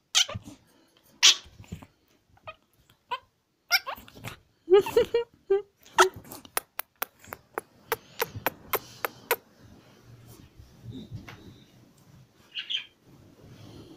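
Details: A Pekingese puppy gives a cluster of short, high yelps and whimpers partway through, followed by a quick run of sharp, evenly spaced clicks and then quieter rustling.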